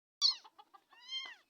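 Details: Hungry kitten brought home from Uluberia, giving a loud high meow followed by short chirps and a longer wavering, harmonic-rich mew.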